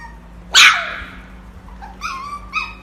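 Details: Pomsky puppy, a Husky and Pomeranian mix, gives one sharp yip followed by two short, high whining squeaks, with a steady low hum in the background.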